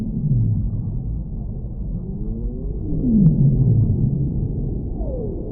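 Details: Whale vocalizing with gliding moans, a pair of rising-then-falling tones followed by a downward sweep and a brief later falling note, set against a steady deep rumble.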